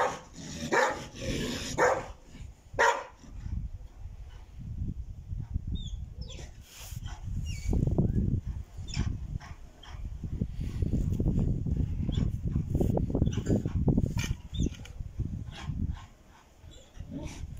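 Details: Kennel dog, from a breeder of Caucasian shepherds, Alabai and Tibetan mastiffs, barking deeply in irregular bursts that thicken into a steady stream of low woofs midway, with sharp knocks and clatter scattered throughout.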